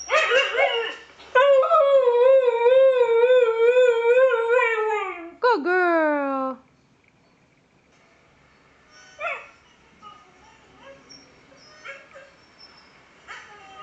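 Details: Siberian Husky named Kiva, a female, singing on request: a steady wavering howl held for about four seconds, then a sharp rising-falling yowl, followed by quiet and soft human talk.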